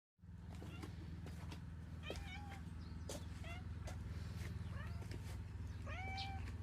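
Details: Domestic cat at a morning gathering outdoors, giving several short meows with rising then falling pitch, one near two seconds and another near six seconds, over a steady low engine-like hum and scattered clicks.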